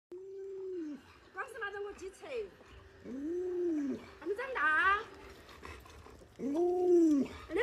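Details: Alaskan Malamute named Luoluo, a pet indoors, begging for watermelon by clinging to a leg; three arched, whining woo calls rise and fall, each about a second long, with a human voice between them.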